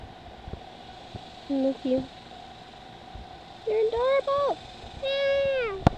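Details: Injured young kitten with a broken paw, indoors near China Spring, Texas; a few short meows, then a longer rising mew and a drawn-out falling cry, over a steady fan hum in a small room.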